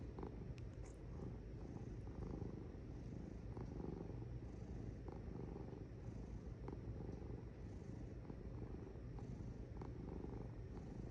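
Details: A cat purrs steadily in a low, even rumble, with occasional faint clicks and a brief sharp tap near the start.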